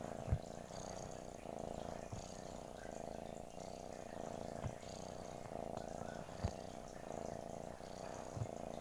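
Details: Steady, low pulsing purr from a domestic cat, unbroken for about nine seconds, with occasional light clicks in the background.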